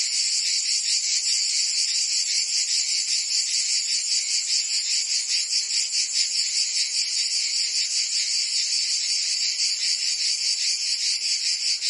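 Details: A chorus of cicadas in the Provence summer in France: a steady, piercing high-pitched drone, rippling with quick regular pulses throughout, nothing else clearly heard.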